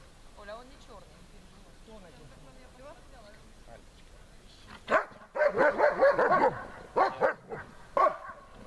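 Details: German Shepherd named Besser barking at the helper during protection work and searching for the helper under harder conditions: quiet murmuring at first, then from about five seconds a burst of loud, harsh barks in quick succession, with short pauses between volleys.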